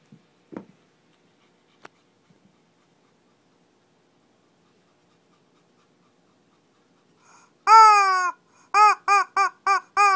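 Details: Shih Tzu mini fight in Kochi, Japan: near silence with faint taps, then a long strained high whine followed by five short sharp yips about every third of a second.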